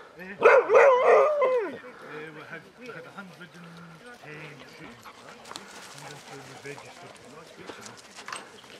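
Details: A Basset Hound among a pack of 22 walking round Belwade Farm, Dess, Aboyne, Scotland, on 2 October 2016, gives a loud, wavering, harmonic bay lasting about a second and a half. Quieter human chatter and laughter follow.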